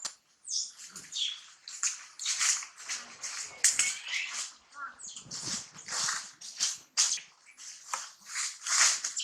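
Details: Hungry baby monkey refused milk by its mother Challina, screaming almost nonstop: harsh, piercing high cries repeated about twice a second, rising and falling in loud bursts.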